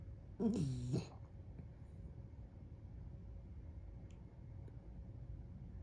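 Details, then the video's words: Dumpling, a little dog sleeping on his back, makes one short snore lasting under a second, with a quick dip in pitch, then quiet breathing and low background hum. "Little cute dog snoring 😴 When Dumpling sleeps on his back"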